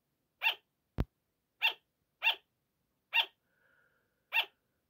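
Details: Pet sugar gliders barking indoors at 5 am as a wake-up call: six short, sharp, yapping barks, each a brief bright burst, spaced under a second apart, with one loud click near the start.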